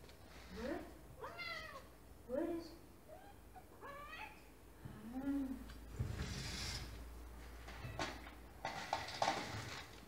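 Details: Hungry house cat Cinnamon calls while guiding her owner toward her favorite food: a run of short, rising meows in quick succession, then a lower drawn-out one, followed by rustling, footsteps and a person's voice indoors.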